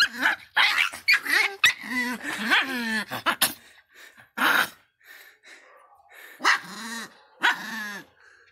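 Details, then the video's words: Angry Miniature Pinscher letting out a rapid run of harsh barks and snarls, then after a short pause two more separate growling barks about a second apart. "latidos de pinscher miniatura bravinho"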